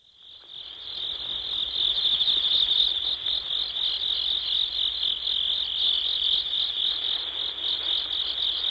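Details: Insects calling in a field: a steady, shrill, high-pitched trilling chorus that swells in over the first two seconds, then holds continuously with a fast pulsing texture and no other clear sounds.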